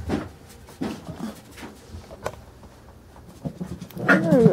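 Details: Carolina Dog puppies, five weeks and four days old, at play: soft scuffling and short muffled grunts, then a high, wavering whine with clear overtones near the end, with a person talking quietly nearby.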